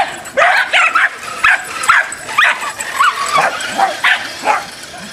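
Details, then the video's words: Dachshund in a fit of road rage, letting off shrill, high yapping barks in a rapid, uneven string, a couple per second. "Dachshund road rage"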